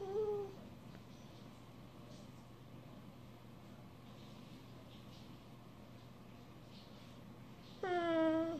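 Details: Australian Shepherd asking to be petted indoors: a brief high, falling whine opens, then about seven seconds of quiet room hum before a second, longer tonal whine with rich harmonics closes.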